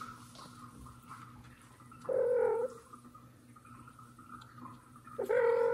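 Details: Annoyed mother cat calling while pulling out a hiding kitten named Mosya, as an adopted kitten walks nearby; two drawn-out, slightly falling meows about three seconds apart over a low steady background hum.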